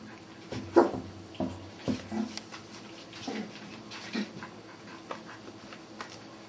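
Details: Litter of five Border Collie puppies at Sakura Garden dog run, Okayama City, Japan, making low, soft whimpering grunts and short moans in an irregular string, with faint rustling and clicks of movement nearby.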